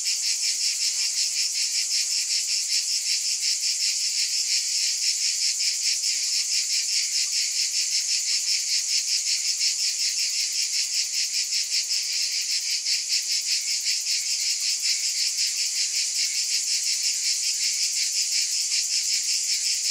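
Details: Cicadas buzzing nonstop in a loud, high, rasping chorus with quick rhythmic flutter and no pauses, nothing else audible.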